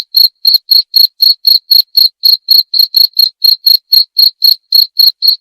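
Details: Continuous high-pitched cricket chirps, short and crisp, repeated about four times per second with slight unevenness in spacing, alone in a silent background.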